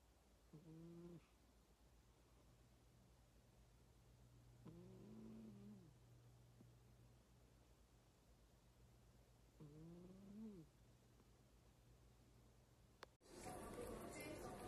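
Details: Cat meowing indoors: three low, drawn-out, wavering calls, each about half a second to a second long, spaced roughly every five seconds over a steady hum, ending in a sudden burst of loud noise.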